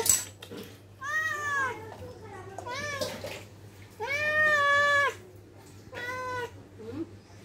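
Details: Angry cat indoors uttering four long, drawn-out, wavering meows, each rising then falling in pitch, the third the loudest and longest, over a steady low electrical hum with brief human speech at the start.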